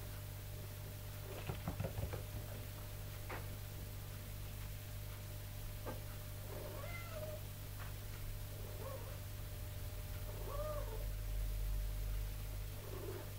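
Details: Tipsu, a mother cat indoors, commanding and calling her kittens while training them to climb stairs. Soft, short meows rising and falling, spaced a few seconds apart in the second half. Early thumps and a steady low hum underneath.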